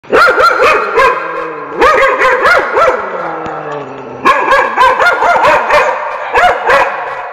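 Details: Dogs barking, used for testing and desensitizing pets to other dogs' barks. Rapid runs of sharp, ringing barks come in three bursts separated by short pauses, some barks rising into higher yelps.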